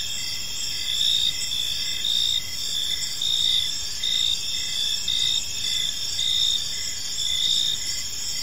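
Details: Crickets in a serene park at dusk: high, even chirping with rhythmic swells close to once a second, and light low-frequency background noise.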